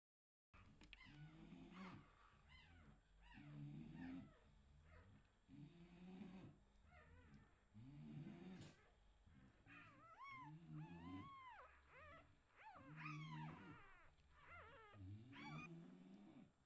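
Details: Pedigree English Bulldog puppies from a litter born 6 September 2022, on their first night, give high arching squeals and thin whines in clusters, over a slow rhythmic low grunting pulse about every second and a half; quiet overall.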